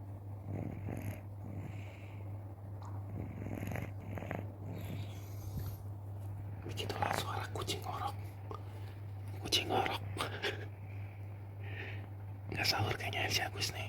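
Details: Agus, a sleeping village cat, snoring with a steady low rumbling drone throughout, while people talk softly over it with occasional louder bursts of speech and handling noise.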